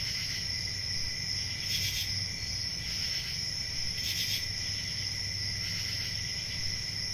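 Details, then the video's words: A cricket chorus holds one bright, sustained pitch throughout, with short pulses of louder chirping roughly every one to two seconds and a low background murmur. "Relaxing Cricket Sounds"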